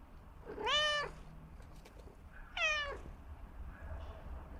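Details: Domestic cat giving two loud, drawn-out harmonic meows about two seconds apart, followed by a fainter third meow, with soft low background rumble and a few faint clicks between calls.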